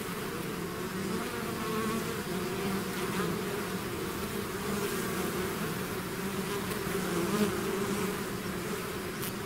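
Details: A swarm of bees exiting the hive produces a rich, steady hum, slight wavering in pitch as individual bees pass close, with a faint click near the end and no other sounds.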